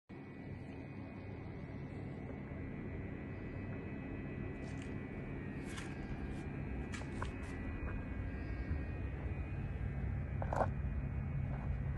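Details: Low steady indoor rumble with a faint tone and occasional light clicks, and no animal voices.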